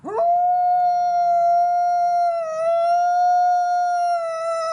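A Mexican grey wolf howls in one long, sustained note, rich and even. The pitch holds nearly level, dipping slightly midway before settling back.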